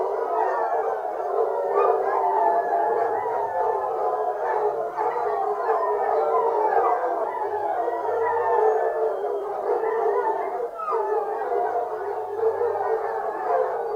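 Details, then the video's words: Fox hunt with a pack of foxhounds baying without let-up, dozens of overlapping mournful howls wavering in pitch, with brief faint low droning tones now and then beneath the chorus. "Fox hunting hounds singing"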